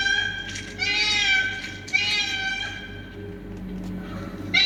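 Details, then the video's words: Cats fighting, giving tense nasal yowls in overlapping bursts, some wavering and some rising, with a constant low droning hum underneath. "TRY THIS SOUND ON YOUR CATS"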